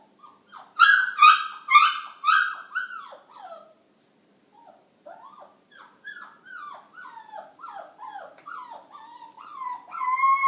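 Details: A small dog of about five pounds, heard in the morning indoors, gives high wavering yips and whimpering howls, a loud burst first, then a pause and a run of short falling cries rising again at the end.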